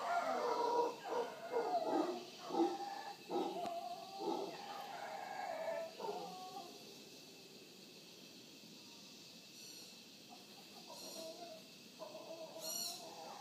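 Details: Wild howler monkeys on a morning visit to Punta Uva, Costa Rica, close to Manzanillo Wildlife Refuge: rhythmic grunting roars for six seconds, then quieter with distant howls, while high chirping birds call in the final seconds.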